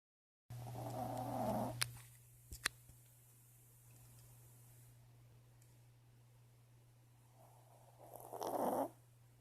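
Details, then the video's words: Female dog named Jada snoring loudly in her sleep: a rasping, throaty snore at the start and another near the end, separated by quiet breathing, with a few sharp clicks between. "Dog snoring in her sleep"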